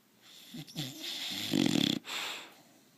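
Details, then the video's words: Bulldog contentedly sleeping and snoring: one rattling, fluttering snore with a wheezy hiss, surrounded by softer breathing. "BullDog snoring"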